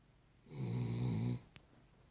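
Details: Single low, rattling snore from a sleeping Cavalier King Charles Spaniel, just under a second long, then a soft tick.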